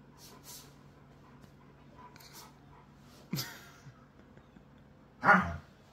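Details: Siberian Husky during rough play: quiet rustling and panting, broken by two short, loud vocal bursts about two seconds apart, the second a harsher, noisier bark.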